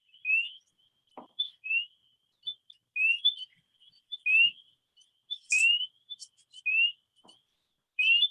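A chorus of spring peepers: clear, rising peeps from several overlapping callers, roughly one every second, over a steady high-pitched ringing from more distant frogs.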